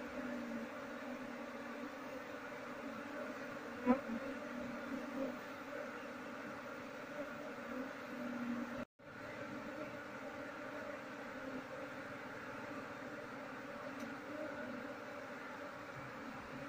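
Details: Massed honey bees buzzing while their colony is relocated to a keeping box, the queen left uncaught. A dense, even drone holds for the whole stretch, broken by one brief dropout near the middle and a single sharp tap.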